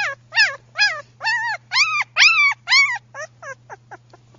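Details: Female tan sable German Shepherd puppy giving a run of about twelve nasal, arching whimpers, the middle ones longest and loudest, then shorter and fading toward the end; a steady low electrical hum sits underneath.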